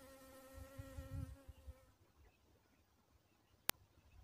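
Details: Buzzing of a dwarf honey bee, a level droning hum with clear overtones for nearly two seconds before fading out, leaving quiet background with one sharp click.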